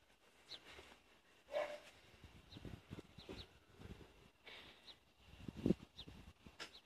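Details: Two Neapolitan Mastiffs, adult Neo and eight-month-old Boo, playing tug of war with a ball: scattered low growly grunts, a brief whine near one and a half seconds, a sharp burst before six seconds, light rustling between.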